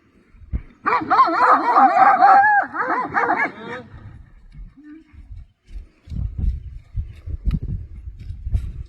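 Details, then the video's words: Livestock guardian dogs rush at a horse rider with about three seconds of rapid, overlapping barking, then only low rumbling and scattered thumps. "حمله ی سگ های گله به اسب سوار"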